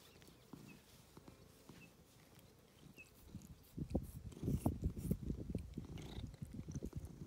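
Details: Affectionate domestic cat enjoying attention, purring: a soft low purr at first that swells into a louder, throbbing rumble of rapid pulses midway, with light rustling and clicks.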